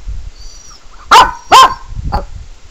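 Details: Sebastian the Pekingese reacts to animal whining sounds played from a laptop with two loud, abrupt barks about half a second apart, then a softer short yip, over a low room rumble and thin high laptop tones.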